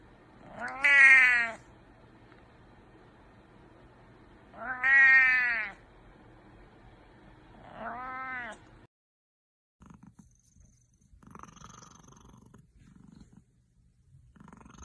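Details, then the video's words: Cat meowing three times, each a drawn-out, wavering, nasal meow of about a second, spaced several seconds apart, the last one softer; afterward only faint rustling and low background hum. "Linking Cats meowing sound effect"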